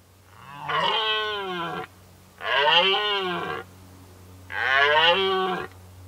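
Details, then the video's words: Rutting red deer stag roars in a 2019 rut recording: three powerful, hoarse, harmonic bellows of about a second each, roughly two seconds apart, set over a low constant drone. "Rykowisko Jeleni"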